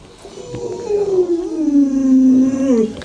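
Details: Luoluo, a pet Alaskan Malamute, howls beside its bedridden owner indoors: one sustained, wavering tone that slowly slides downward, then lifts briefly near the end.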